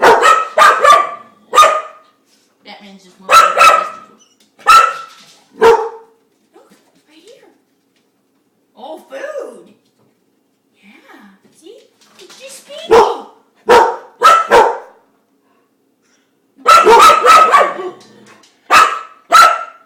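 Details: A pet dog, fascinated by a spinning dishwasher spinner, gives short sharp barks in clusters of two or three, separated by a woman talking playfully to her between bursts.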